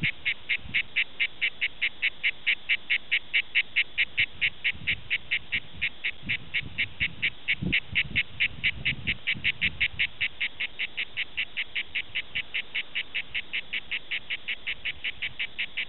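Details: Song of the cicada Cicada orni at Prades in southern France, a rasping pulse repeated regularly about twice per second without pause, over soft low background noise.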